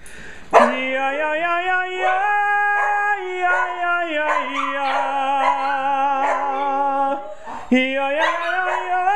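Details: Pet dogs howl as a group in their home on a Friday night after being asked if they are ready to sing again; a sharp onset gives way to sustained wavering howls over a low tone that steps up and down.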